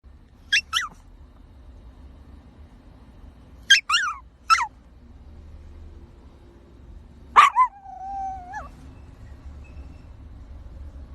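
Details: Puppies barking: three short, high yips spaced a few seconds apart, then a sharp yelp that trails into a steady whine lasting about a second, over a faint low hum.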